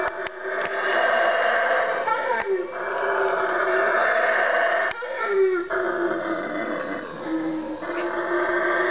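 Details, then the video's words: Four howler monkeys three trees away give deep, rasping roars that swell and hold in long, moaning waves at 3am in the Guatemalan jungle. "howler monkey 3am wake up call"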